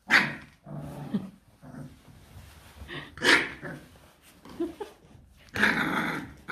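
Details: Rottweiler puppies, 26 days old, from the litter of Loki and Siro, eating their first solid meal, all four pups feeding: low rumbling growls broken by three sharp yelping bark bursts spaced about two to three seconds apart.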